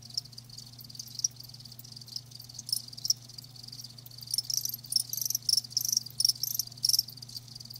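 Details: Live crickets trilling high and shrill, bursts growing louder and more frequent toward the end, over a steady low background hum.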